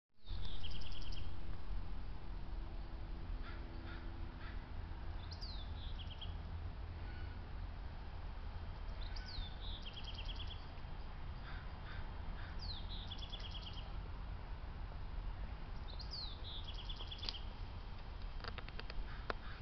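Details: An Eastern grey squirrel that escaped up a tree from a stalking maned wolf at a zoo gives sharp, falling alarm barks at the wolf, in quick bursts roughly every three to four seconds.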